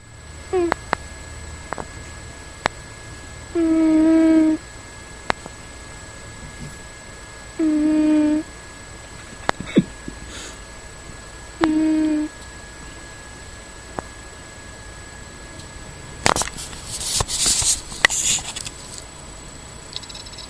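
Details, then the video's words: Keephim, a pet cat, snoring in his sleep indoors: three nasal, whistling tones about every four seconds, each under a second long, with rustling and scratchy handling noises near the end. "Cat (Keephim) Snoring in his Sleep"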